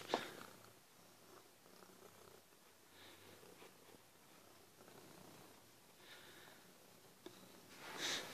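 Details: A pet cat purring softly indoors while being patted, a quiet steady low rumble with faint breathy texture throughout, brief rustles at the start and a louder handling noise near the end.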